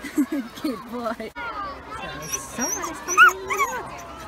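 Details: Samoyed named Yuki at a crowded UK beach on a hot 31-degree day, his silly noise a sign of happiness rather than crying. Wavering, sliding whines and short yips, one sharp squeal near the end, mixed with nearby voices.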